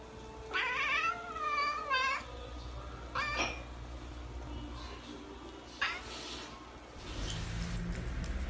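A Birman cat gives two long, wavering meows, then shorter chirping mews over a low background hum.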